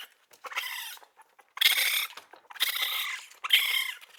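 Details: Baby raccoon giving high, raspy squealing cries in three or four harmonic-rich bursts, each under a second long, separated by short quiet gaps.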